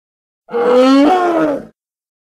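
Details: Single hippopotamus call, Congo, edited: a rich, tonal groan just over a second long that climbs gently, jumps upward midway, then slides down as it fades, with no other sounds.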